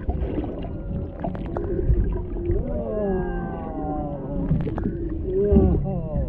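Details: Humpback whale voices underwater off Maui, Hawaii, near a mother and calf by a boat, with a male in the background, on a GoPro Hero 7 Black. Rich harmonic moans glide upward, then swoop down in long sliding tones, over a low rumbling background.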